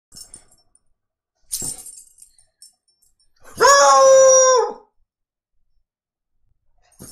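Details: Shasta the foxhound singing: a single drawn-out, steady-pitched bay lasting over a second, rich in harmonics and ending with a slight downward slide, following a brief thump and rustle indoors.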